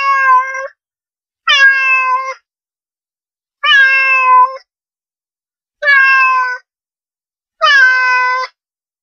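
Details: Domestic cat meowing, a sound said to attract cats: five loud, harmonic-rich meows, each about a second long and spaced roughly two seconds apart, slightly falling in pitch, in silence otherwise.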